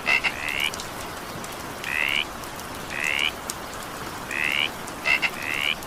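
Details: Frogs croaking through evening rain, rising buzzy trills spaced about a second apart, a double click opening the first and last, and soft continuous rainfall underneath.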